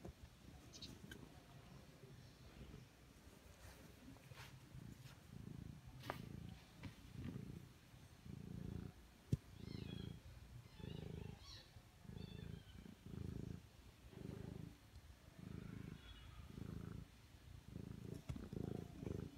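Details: Mother cat with her newborn kittens, purring in a steady, low, rhythmic rumble, each breath pulse lasting under a second and repeating evenly throughout, with a few faint higher squeaks and light clicks in the background.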